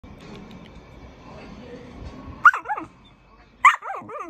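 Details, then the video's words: A Samoyed dog 'talking': after a low background murmur, two bursts of bending, yodel-like vocal sounds, each a sharp rising onset that slides down in wavering notes, spaced about a second apart. "Talking Samoyed"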